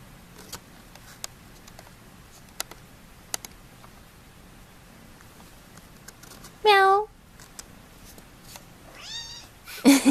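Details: Indoor kitten gives two meows near the end: a loud, short, falling cry, then a thinner, higher, wavering meow two seconds later, after quiet room noise with scattered clicks; a sharp bump closes the recording.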